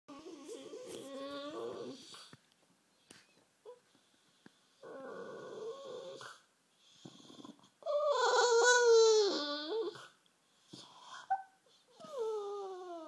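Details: Rufus, a bulldog, half asleep and sulking on a sofa indoors, making weird noises: several drawn-out, wavering whining moans in bursts with short pauses, one louder warbling cry near the end.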